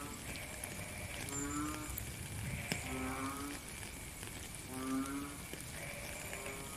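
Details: Frog in the rain in a natural setting, giving three low, hollow, tonal croaks roughly 1.5 seconds apart, each about half a second long, against steady pattering rain and occasional drips.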